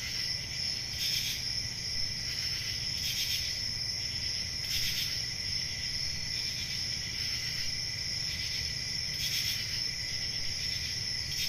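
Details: Chorus of crickets on a calm rural summer night: an unbroken shrill high trill layered over a lower hum, punctuated by short louder chirp bursts at irregular intervals of one to three seconds.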